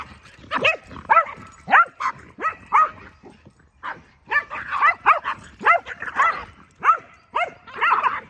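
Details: Keeshond and Boston Terrier at play, jousting with each other: near-continuous run of short, bright barks and yelps, several per second, rising and falling in sharp arcs.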